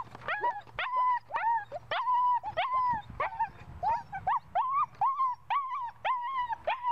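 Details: Puppy in ball drive whining and yelping in short high arched notes, some sharply rising, repeated about twice a second, with a brief low murmur of a human voice in the middle.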